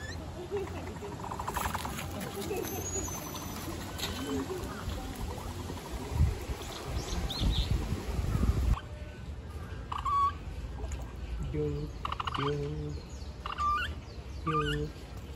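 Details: Capybara giving a series of short, harmonic, slightly nasal calls repeated about every second in the latter half, after a noisy stretch of rustling and background murmur.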